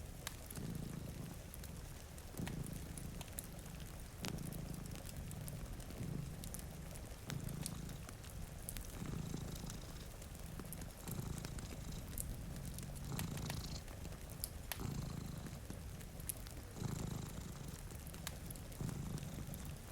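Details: Two cats sleeping before a rainy window beside a cozy fire, their deep rumbling purr swelling and fading in a steady rhythm about every two seconds, with sharp fire crackles and soft rain patter underneath.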